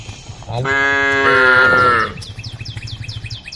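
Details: A single drawn-out moo, about one and a half seconds long, from one of a group of tame female cows on a road calling the herd; the tone lifts midway, and quick high chirps follow.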